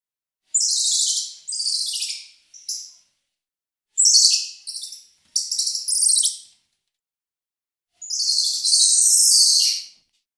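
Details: Squirrel monkey giving a series of shrill, very high, hissy chirps in quick bursts of two or three, with a longer, drawn-out squeal near the end and no other sounds.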